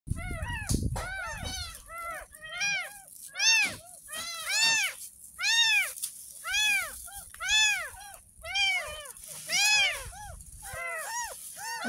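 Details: Ten-day-old kitten, found in a roadside drain, mewing during its first bath: a steady series of about a dozen arched, high, harmonic mews roughly once per second, over a constant hiss, with a few claps at the start.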